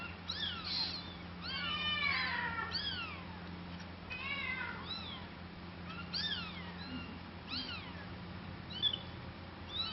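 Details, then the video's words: Domestic cat mewing repeatedly: thin, high, rising-and-falling cries in dense bursts early on, then scattered single meows, with a constant low electrical-sounding hum in the background. "Funny cat sound"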